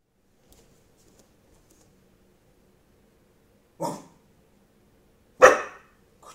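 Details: Dog barking on command indoors: two sharp, separate barks after a quiet stretch, the second louder and harsher, followed by a faint short sound at the very end.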